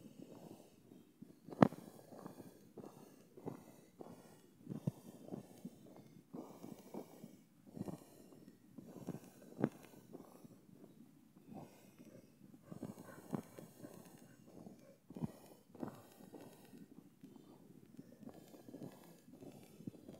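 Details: Penny, an American Bully dog, off leash on a river trail in the woods on a damp, wet day; repeated soft snorts and wheezy, rumbling breaths at an irregular pace, with a few sharp louder bursts.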